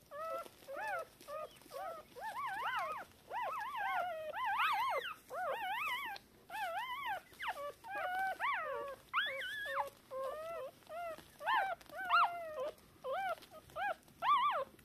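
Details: Newborn Shiba Inu puppies, deaf and blind, three hours after birth on 19 October 2022, from a litter of three (two females, one male), calling for their mother; a steady run of high, arched squeaky whimpers with rising-falling pitch.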